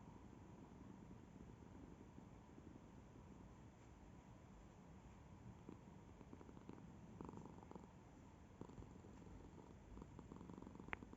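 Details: Cat purring steadily, a soft low vibrating rumble of quick pulses held throughout, with a few faint clicks and small rustles toward the end.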